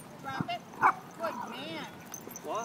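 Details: Welsh Corgi puppy Toffee, three months old, playing with a protective three-year-old adult corgi at a dog park on his second visit; short high yips, a sharp bark and whiny arching calls, with people talking throughout.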